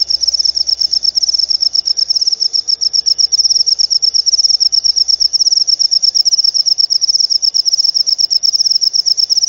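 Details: High, sharp cricket chirping meant to repel rats and draw lovebirds, rapid rhythmic pulses running unbroken, over a faint low rumble early on.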